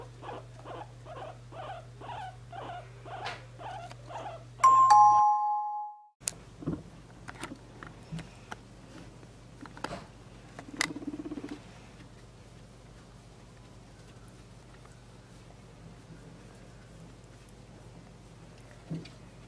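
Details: A pet guinea pig, indoors, squeaks softly while being held, giving a steady series of short harmonic cries about twice per second for four seconds, then a bright chime rings out, followed by scattered clicks and handling noises over a low room hum.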